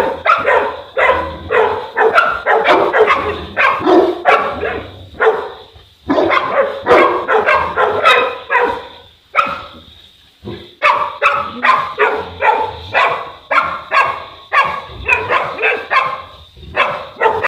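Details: Boerboel pair in Egypt, South African Mastiffs, barking repeatedly in long runs of hoarse, powerful barks, several per second, broken by brief silences around the sixth and tenth seconds.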